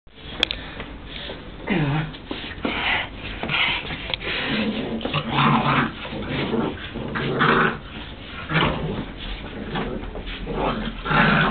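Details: Ten-week-old American Staffordshire Terrier puppy getting angry during play, with repeated rough growls and snarls in bursts of about a second, some rising into higher yelping growls, in a small indoor room.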